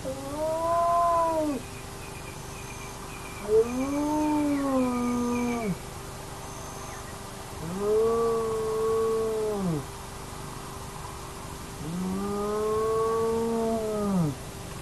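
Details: Hyenas of the Naledi clan at an active den, recorded by a remote camera: four drawn-out, harmonic, arching moans, each one to two seconds long, spaced a few seconds apart, over a steady electronic hum.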